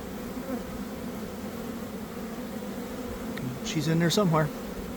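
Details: Honey bees swarming from a hive in a garden in the early afternoon after a week of cold and damp. Even, low swarm drone, then a loud bee buzzes right past near the end.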